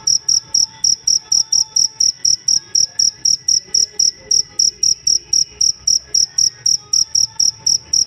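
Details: Cricket kept to teach songbirds, chirping in a bright, piercing series of short pulses roughly four each second, rhythm even throughout, over a quiet low background murmur.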